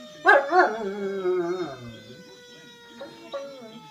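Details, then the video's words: German Shepherd of a family howling at a fire truck siren; two sharp yelps open a descending wavering howl lasting over a second, then fading, with faint later yips over the steady siren. "German Shepard howling at a fire truck siren"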